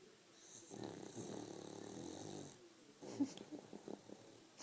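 A French Bulldog snores with a long, rattling, wheezy breath followed by softer snuffles.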